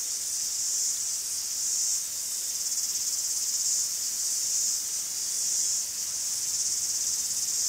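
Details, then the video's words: Greek forest cicadas in steady chorus: a shrill, dense sizzling drone pulsing gently in loudness about once per second, unbroken throughout. "Cicadas in a Forest in Greece"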